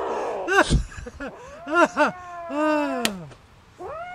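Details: A cat eating broccoli, letting out a string of short wavering meows and growly, slurred cries that rise and fall, several overlapping at close range, with light chewing noises between.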